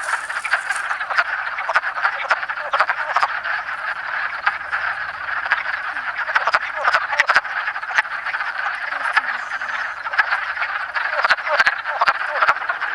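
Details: A dense chorus of wood frogs (Rana sylvatica), calling and in amplexus in south central Pennsylvania on 7 March 2009, gives rapid, duck-like clucking croaks that overlap without pause.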